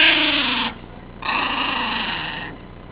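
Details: Tickled Cairn Terrier named Bonnie producing her classic snarl: a harsh, buzzy, strongly harmonic burst under a second long, a short gap, then a longer, slowly fading rasping growl.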